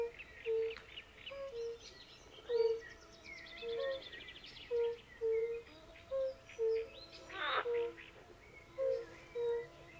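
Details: Forest-pond concert of European fire-bellied toads and pool frogs: steady low hooting notes from several toads, roughly one every second, with a loud grating croak midway and scattered bird chirps in the background.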